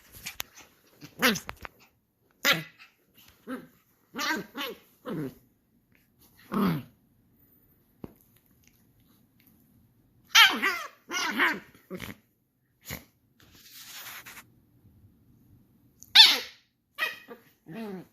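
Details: An angry Shiba Inu puppy indoors gives short sharp yelping barks and whiny growls in irregular bursts, with quiet pauses between outbursts.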